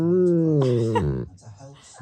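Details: Pet Husky making one of its strange sounds on an average day: a drawn-out, harmonic-rich vocal moan that slides gently downward over about a second, then breaks off into softer rustling and handling noise.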